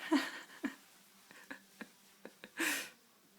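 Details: Chubby female black Labrador Retriever puppy, the only pup of her litter, hiccuping while dreaming indoors with twitching legs. Soft, brief clicking hiccups come at uneven short intervals after a small whimpery note, ending in a breathy exhale.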